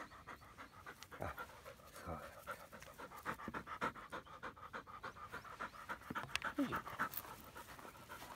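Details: Labrador Retriever frisbee dog at morning practice with walking, stretching and throwing, quick rhythmic panting with louder, uneven bursts, plus a few faint knocks and a brief squeak near the end.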